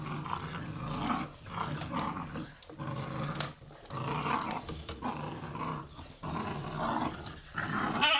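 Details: Three-month-old pit bull puppies playing indoors in an apartment, 2017: rough, throaty growls and grumbles come in bursts a second or so long, with short quiet gaps and scuffling between them.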